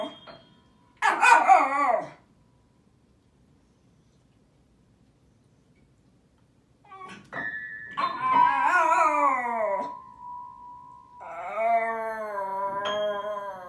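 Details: Joey, a Welsh Terrier who wants to play the piano several times a day, delivers a piano solo: a short burst of piano notes, a pause, then long wavering harmonic howls and yips mixed with sustained piano tones.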